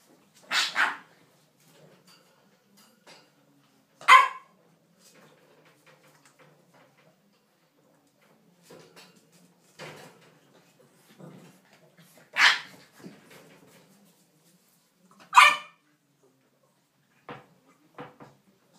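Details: Playing English bulldog puppies let out short, bright yips and barks, single or paired, scattered irregularly over the recording, with soft scuffling and faint small whimpers in the pauses.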